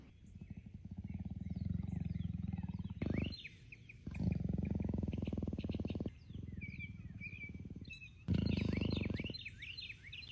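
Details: Contented grumbling from a female leopard kept at a North Carolina animal park, her substitute for purring: long, low, throbbing pulsed rumbles in four stretches of one to three seconds, with bright bird chirps and twitters overhead.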